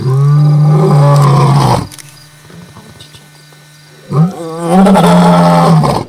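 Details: Dominant male lions from a coalition of five roaring under the full moon in Kruger Park, South Africa; two long, loud, deep roars separated by a quiet gap with a brief grunt, over a constant low hum.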